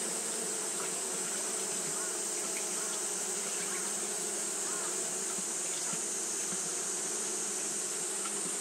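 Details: Japanese honey bees keep fanning on a hot day, giving a dense, steady buzzing drone with fluttering low tones and a constant sharp high-pitched hiss overhead.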